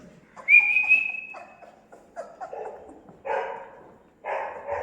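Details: Newborn Labrador Retriever puppies on day 17, squabbling together: a thin whistled tone rising briefly at the start, then clustered short grunting yelps and whimpers in separate bursts, with quiet gaps between.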